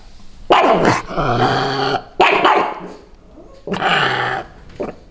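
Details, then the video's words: Pug dogs give drawn-out, growly barks in three bursts, each about a second long, defending their territory against bleating sheep while dressed in Santa costumes. "Pug dogs Lilly and Lucy barking in Santa Claus costume vs sheep noise"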